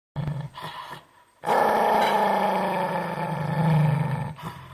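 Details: Domestic dog described as feeling guilty: two short low grunts, then a drawn-out, rough, groaning growl-like moan lasting about three seconds that swells slightly toward the end before a brief final sound.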